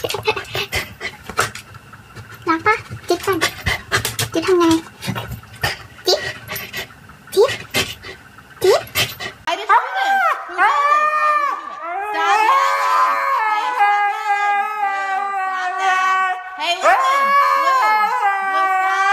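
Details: Siberian Husky screaming at the top of its lungs: after several seconds of panting and clicking, loud drawn-out wavering yowls with strong harmonics begin, rising and falling in pitch almost without pause.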